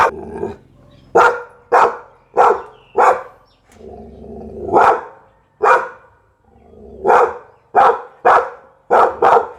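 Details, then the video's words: A Pit Bull gives runs of deep, punchy barks, several quick ones in a row, then pauses filled with low growly rumbling before another burst of barking. "เสียงหมาเห่า #หมาพิทบูล"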